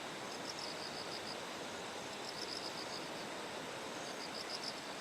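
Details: Morning near rice terraces in Kikuchi, Kumamoto, Japan, September 6, just before a typhoon's closest approach: bell cricket song comes as short ringing pulse trains, three separate bursts, set against constant broadband stream noise.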